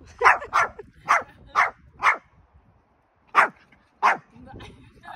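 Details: A male Pomeranian born 20 August 2021 barks in sharp, high yaps, several in quick succession, then a pause and more.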